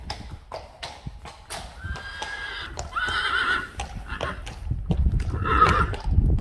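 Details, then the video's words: Friesian horse, part of a 25-strong herd, whinnying three times: two shrill quavering neighs close together, then a shorter third, with hooves clopping throughout. "Neighing horses. More than 100 times | April Fools' Day | Friesian Horses"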